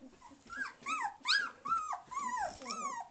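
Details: Samoyed puppies 2.5 weeks old, recorded December 13, 2009, learning to walk and complaining a little: a run of high, bending whines and whimpers, about five or six rising-then-falling cries in quick succession, indoors.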